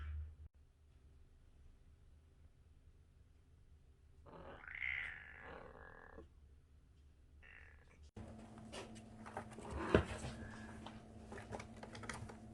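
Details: Strange noises from a 37-day-old kitten: a short cluster of hoarse, harmonic cries midway, preceded by quiet and followed by a loud burst of rustling, handling noise.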